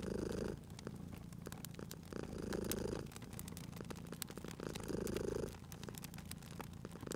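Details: Cat purring by a crackling fireplace in a cozy spring setting; low rumbling purr swells in cycles about every two and a half seconds, with sharp fire crackles and pops throughout.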